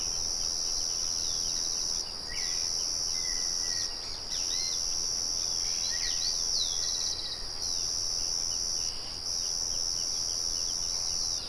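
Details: A continuous high-pitched cricket trill fills the countryside, with a windmill murmuring nearby. It breaks off briefly about every two to three seconds, while scattered bird chirps and short whistled notes come through beneath it.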